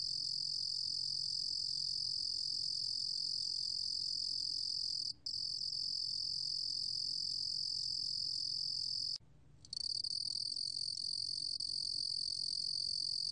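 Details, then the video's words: Cricket called lurugom-gwitturami in Korean, recorded in 2020: sustained shrill high trill with one short break midway and a longer half-second pause later, then the same even buzzing continues; soft low hum underneath. "루루곰귀뚜라미, 여러번 듣기, 곤충소리"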